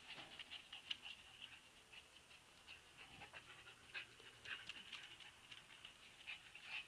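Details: Soft, steady whining from Siberian Husky puppies, a quiet high thread of sound broken by brief sharper squeaks every second or so, with light shuffling beneath.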